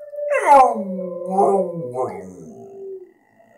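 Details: A one-year-old male English Staffordshire Bull Terrier gives a wavering, tonal howl that slides downward, howling along with wolves.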